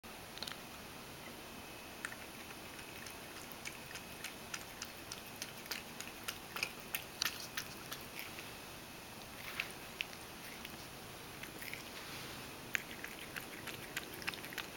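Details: Ragdoll cat named Mojio lapping milk at mealtime, spilling plenty as it drinks; crisp wet clicking laps come in quick irregular runs throughout, over a faint steady high whine in a small indoor room.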